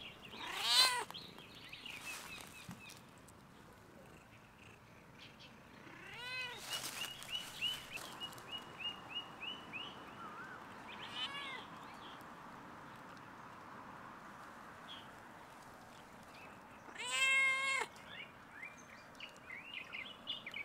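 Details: Stray domestic cat on a fence on a campus closed due to coronavirus, meowing at a person: three clear, tonal meows near the start, middle and end, separated by long quieter stretches with faint chirping and background hiss.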